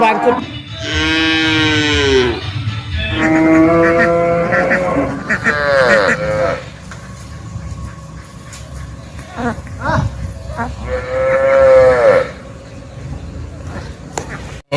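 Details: Cow mooing repeatedly over a noisy background: several harmonic moos in the first six seconds, rising and falling, another moo near twelve seconds, with a steady hum and other noise throughout.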